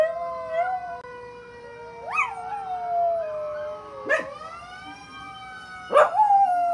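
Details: Ruby, a one-year-old rescue dog of Chihuahua, pit bull, German shepherd, Jack Russell and rat terrier mix, howls along with fire truck sirens: wavering, rising howls over steady siren wails, with sharp yelping bursts near the middle and end.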